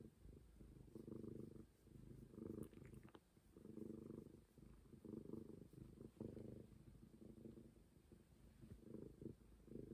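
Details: Momi, a stray cat, keeps up a rolling low purr, each swell lasting about a second before a short dip, with occasional light taps in the background.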